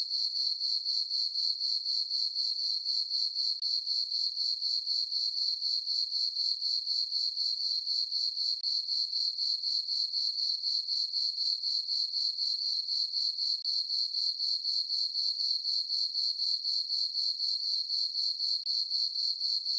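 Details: Summer night crickets in a moonlit farm meadow, chirping in a continuous high-pitched pulsing ring at roughly four beats a second, very regular throughout, nothing else audible.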